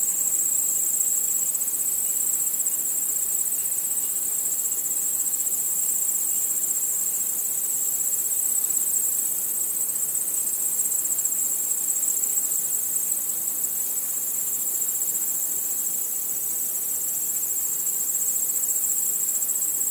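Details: Crickets chirping at night under a starry sky: a dense, steady, high-pitched pulsing chorus that runs without a break for the whole stretch, with nothing else standing out.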